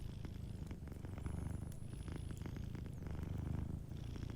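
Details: Close, rich purring from a sleeping cat by the fireplace: dense low vibrating rumble swelling and easing with breathing, with light fire crackle ticking over the top.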